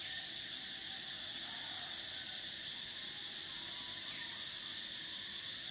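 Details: Continuous high buzzing of summer cicadas, steady and piercing, with the upper tone fading and changing about two-thirds of the way in. Faint background chirps remain barely noticeable.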